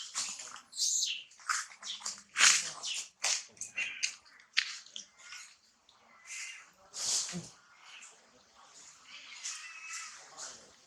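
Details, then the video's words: Unnamed baby monkey crying as mother Challina withholds milk; a dense run of piercing, noisy screams early on, then softer wavering whines and thin tonal cries trailing off. "baby monkey screaming cry when mother Challina doesn't provide milk"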